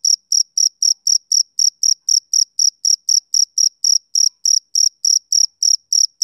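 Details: Male cricket calling through a summer evening with sharp, high chirps, some pulses slightly longer than others, repeated nearly four times a second in a clear, isolated recording.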